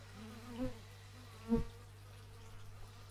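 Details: Bees recorded in stereo with an x/y microphone outdoors: two brief low buzzing fly-bys swell and fade near the start and middle, over a steady low background hum.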